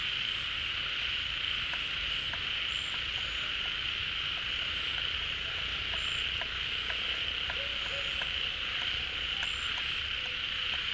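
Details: Frogs gathering at a pond as rainy-season water fills it, calling en masse; a continuous shrill buzzing wall of sound with scattered short clicks and brief tonal notes poking through.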